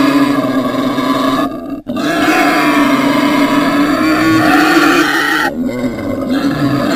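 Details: Continuous strained squealing from a pig, a loud droning cry held for seconds at a time with only a brief catch in the middle, harsh and strongly overtoned throughout.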